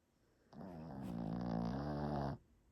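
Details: Sleeping dog snoring: a single low, rumbling drawn breath lasting nearly two seconds, steady and throaty, in a quiet indoor room.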